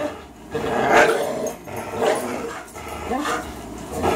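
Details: Tug-of-war play between Fox, a 3-year-old Greyhound, and Miles, a 3-year-old German Shorthair; surging throaty growls swell and fade about once a second over a steady low rumble.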